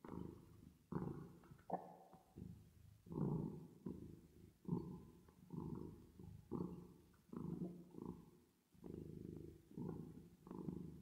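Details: Sleepy cat purr with reverb applied, a low vibrating drone broken into irregular breathing phases, some short and some stretched to over a second, with brief quiet gaps between.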